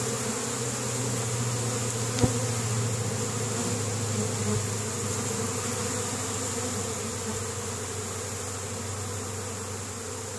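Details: Busy honey bee colony in Caribou, Nova Scotia, Canada, on 10 May 2015, winter insulation removed, foragers bringing in pollen: an unbroken low droning buzz with one sharp click early on.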